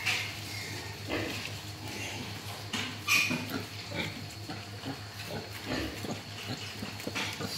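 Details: A mischievous wild boar gives rough, snorting grunts and short squeals over a steady low hum.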